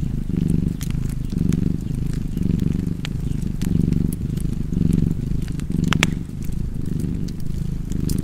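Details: Low, even purring of a cat, each breath cycle rising and falling in a gentle rhythm near once per second, with scattered fireplace crackles overhead.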